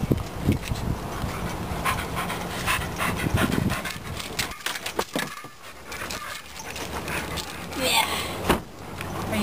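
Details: Staffordshire Bull Terrier named Megatron, heading to a dog park, panting in quick, breathy bursts, with people talking nearby and rustling in the background.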